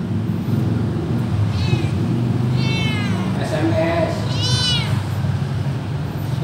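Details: Cat meowing while its tail is touched, irritated: three drawn-out, arched, whining meows rising then falling, spaced about a second apart, over a steady low hum with a person speaking Indonesian.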